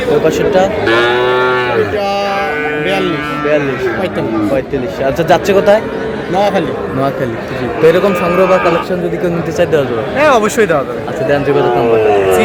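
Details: Sahiwal bull calves at a cattle market in Noakhali, Bangladesh, on 8 May: two long, deep, drawn-out moos in the first four seconds, then constant buyers' chatter and bargaining voices covering the rest of the market scene.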